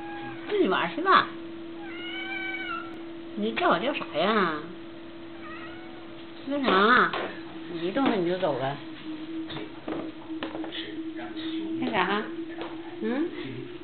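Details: Pet cat calling for lunch, a female giving several short wavering meows in separate bursts, while a woman talks to her in Chinese and a steady electrical hum runs underneath.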